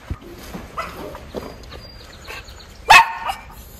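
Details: Two Miniature Schnauzer brothers in Aroostook County, Maine, on 7 June 2022, excited while watching a fence being built for their new yard. Soft whines and yips are followed by one loud high bark, with outdoor background noise throughout.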